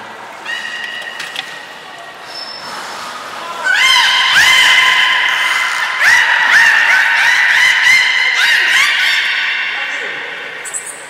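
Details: Training session with belugas Nana and Niko at Port of Nagoya Public Aquarium on 7 October 2018. Faint tonal calls open, then loud, rich harmonic squeals pulse repeatedly for several seconds before fading into echoing hall ambience.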